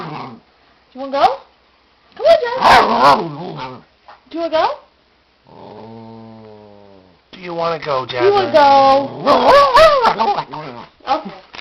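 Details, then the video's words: A 5-year-old female Papillon dog yodeling eagerly for her walk indoors: warbling, wavering vocal bursts rising and falling in pitch, in several runs, with a person talking in a low voice between them. "Papillon makes weird noise"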